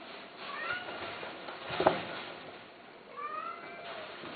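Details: Domestic cat giving two drawn-out, harmonic meows, the first near the start and a second, slightly rising one about three seconds later, over faint room hiss and a brief thump in between.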